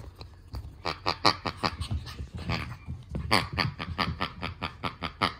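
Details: Pet dog named Yui making a fast run of short, nasal, squeaky grunts, several each second, rising and falling in loudness throughout.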